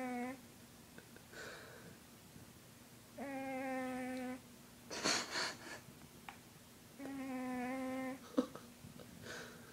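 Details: Sleeping 20 pound house cat snoring indoors: drawn-out whining tones of about a second each recur roughly every four seconds, with brief rustling and breathy noises between them.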